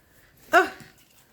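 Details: Terrier mix dog throwing a tantrum indoors, wanting a door opened: one short, sharp, harmonic yelp with a quick fall, amid a person's coaxing speech just before and after.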